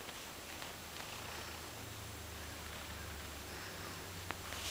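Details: A happy female pet cat purring very quietly; a low, steady rumble runs through the whole recording with faint rustling and a few soft clicks, the purr barely rising above background hiss.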